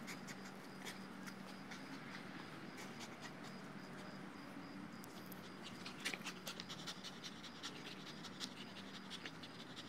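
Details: Two-year-old male Dogo Argentino tiring after several minutes of play with a new Tether Tug toy anchored in the ground; quick rhythmic breaths pulse steadily throughout, with a soft low hum and a few scuffs near the end.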